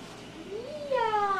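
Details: Domestic cat giving a single meow that rises, dips, then swells louder toward the end, with a person speaking softly nearby.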